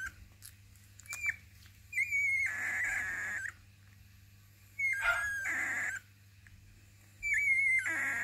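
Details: Litter F Basenji puppies from the Zakira kennel squealing indoors: long, loud, high whining bursts about a second each, each opening with a sharp falling whistle-like note, three bouts separated by quieter gaps, steady hum beneath.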